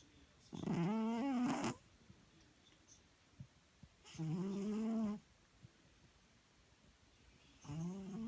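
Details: Domestic cat snoring indoors: three drawn-out, buzzy, tonal breaths, each about a second long, arriving roughly every three seconds, with a quiet room between them.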